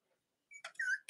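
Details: From Robin and Myra's litters of Cavalier King Charles Spaniel puppies in the US, late October: a thin high squeak, then a brief whistled whine wavering downward, ending in a sharp noisy burst.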